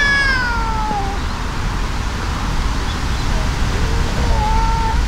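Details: Angry brown tabby-and-white cat confronting a brown tabby in a fight: a harmonic-rich cry opening high and falling sharply, then a pause and a rising, drawn-out growling yowl, against constant low rumbling noise.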